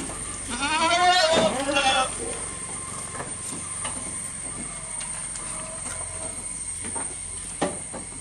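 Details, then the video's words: Goat close by while eating. A loud, trembling bleat lasts about one and a half seconds at the start, followed by several seconds of low rustling, faint ticks and background hiss. "Goat Eating Sound"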